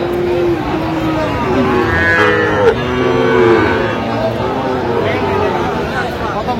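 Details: Sahiwal bull calves at a livestock market in Brahmanbaria, Bangladesh, on 21 October 2025: long, low, drawn-out moos that sag slightly in pitch, overlapping one another, with men haggling over prices and crowd chatter throughout.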